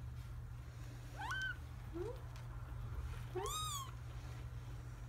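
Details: Kitten siblings Joey and Monica being posed together for a photo: thin, rising high-pitched meows, one short squeak and a longer arching cry near the end, over a steady low hum.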